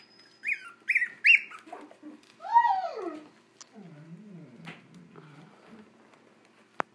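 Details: Young puppies, 24 days old, give three quick high-pitched squeaks, then a longer falling whine and a low wobbling moan. Faint rustles follow, and a sharp click ends the quiet indoor scene.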